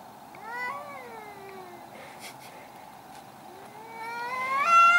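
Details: Angry cats fighting in a garden give long, wavering yowls, one sliding downward and fading, then a low moan that climbs into a loud, strained rising wail at the end.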